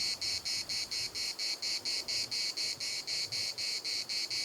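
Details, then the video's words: Chorus of cicadas at Larnaca's municipal park, a harsh high buzz broken into even pulses roughly every half second, clean and unbroken with little else heard. "CICADAS at the municipal Park Larnaca"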